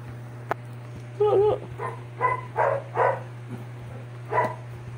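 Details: Sixty-day-old Doberman pups just after ear cropping: a series of short, tonal whimpering yelps in uneven bursts over a few seconds, about six in all, over a steady low hum.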